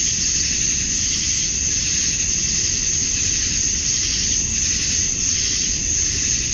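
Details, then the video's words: Dusk in Georgia, USA, on a summer night, with male cicadas chorusing to attract females; a constant high whining buzz with slight pulsing waves, and a low background rumble. "Cicadas at Dusk, Summer Night"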